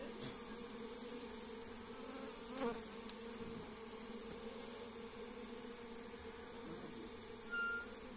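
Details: Forest honey bees from a wild hive being taken by hand, giving an even, unbroken buzzing hum with a couple of short knocks.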